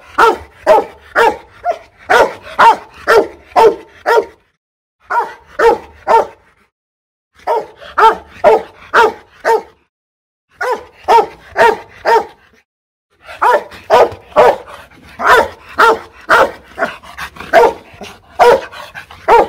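A Rottweiler barks in loud, deep bursts, about two barks a second, with brief pauses between runs.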